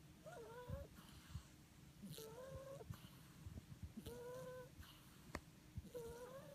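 A French Bulldog puppy snores in whistling, nasal tones that return about every two seconds.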